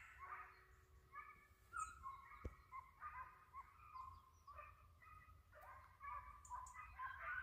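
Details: Hunting hound giving tongue on the trail of a white-headed hare: distant, drawn-out baying yelps in overlapping bursts, some rising and falling, over a low background rumble.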